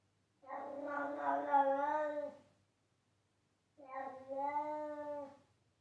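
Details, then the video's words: Loud meowing from a pet cat: two long, drawn-out tonal meows of about two seconds each, holding a steady pitch before tailing off, with a pause between them. "Cat Meowing"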